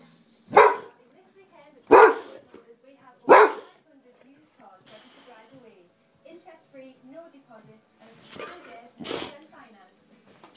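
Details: Boxer dog playing rough during a rumble, giving three loud sharp barks about 1.4 seconds apart, followed by quieter grumbling growls and two further barks near the end.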